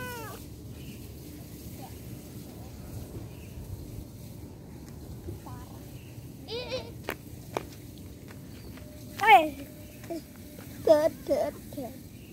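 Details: Domestic cat meowing while separated from its owner: quiet scattered sounds at first, then a few loud, bending, harmonic meows near the end, with human speech alongside and a steady low hum underneath.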